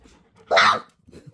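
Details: Male Belgian Malinois puppy, two and a half weeks old, barking on waking up in the morning indoors; one short, high, sharp yelping bark of about a third of a second, with faint room noise before and after.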